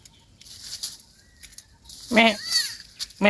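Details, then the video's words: Young goat that lost its mother one night in a forest, giving a wavering, tremulous bleat rich in harmonics near the middle of the clip, then the start of another at the end, over quiet rustling. "A goat lost its mother one night in the forest"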